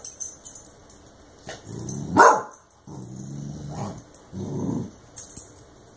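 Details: Clumber Spaniel puppy Brodin confronting a compressed air can he dislikes after being sprayed; drawn-out low growls broken by one sharp bark, with a hiss in the background.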